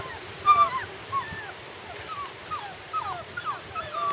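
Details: High, thin whines from puppies on their first day outdoors, short rising and falling cries scattered every half second or so, soft and somewhat distant against steady outdoor hiss.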